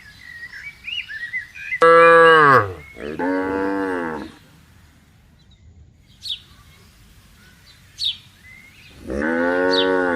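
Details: Cattle grazing on a wide pasture: a loud falling moo at two seconds, a second longer low at three to four seconds and another from nine seconds, with short bird chirps and whistles in the quiet gaps.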